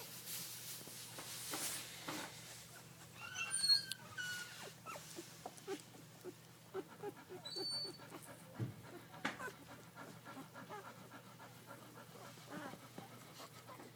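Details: Several puppies piled together, panting and snuffling, with a few short, high whimpers near the middle and scattered soft clicks and rustling throughout.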